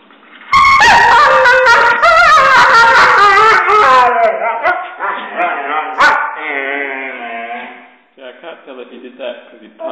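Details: Husky talking and whining to go for a walk when its owner gets home from work: loud, drawn-out, wavering harmonic howls and yowls with rising and falling pitch, fading to softer whines near the end.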